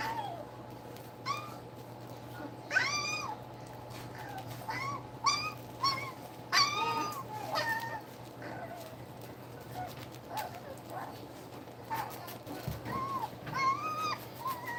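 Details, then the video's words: A litter of eight two-week-old German Shepherd puppies, seven males and one female, nursing indoors with their mother. Many short squealing whines, some arching and some sharply rising, come in bursts with soft rustling and a constant low hum. "2 week old puppies nursing"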